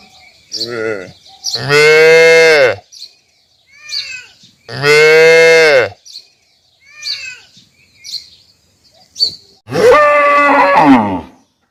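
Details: Large cow giving three long, loud, rich moos a few seconds apart, steady in pitch, with faint chirps and small background sounds in the pauses.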